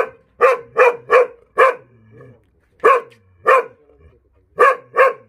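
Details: Jindo dog met on Jindo, Korea, giving eight loud, sharp barks in uneven bursts: four quick ones, a pause, two more, then a final pair, with quiet gaps between.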